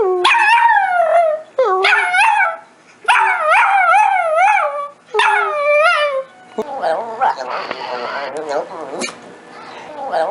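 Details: Pet dog making weird, funny noises: four bouts of high wavering yips and whines in the first six seconds, then quieter whining under a person's voice.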